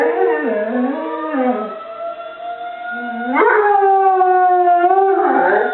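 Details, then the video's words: Pet dog howling along with a tornado siren; a wavering howl with rising and falling pitch rides over the steady drawn-out tone of the siren, growing louder midway. "Molly vs. Tornado Siren"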